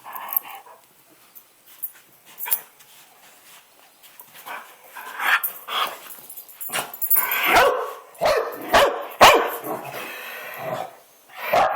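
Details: Dog barking: a few scattered sharp barks early, then a rapid run of loud, harsh barks in quick succession during the second half.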